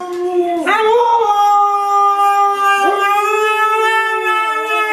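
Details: Siberian Husky puppy howling: a long, steady tonal howl that jumps upward after a brief waver near the start, then holds a level, rich pitch with a short dip and recovery near the three-second mark.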